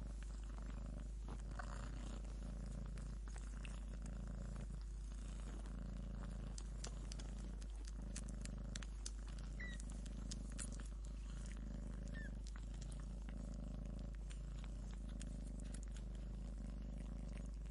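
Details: Mother cat purring while nursing kittens: a steady, low, rumbling purr that swells and fades about once a second, with scattered faint clicks and crackles.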